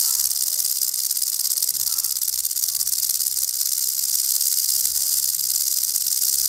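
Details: Rattlesnake giving its warning rattle when threatened: a continuous hissing buzz, high and dry, slightly wavering in loudness but never stopping, with a faint low murmur underneath.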